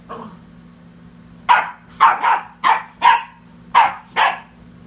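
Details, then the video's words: Pet dog Sadie harassing the cat: a quick run of about seven loud, punchy barks, some doubled in pairs, after a faint opening bark, over a constant low hum. "Sadie Harassing the Cat"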